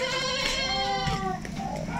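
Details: During loading for shipping, a goat gives one long, strained, vibrating bleat that sags lower toward its end. Faint background noise sits beneath it.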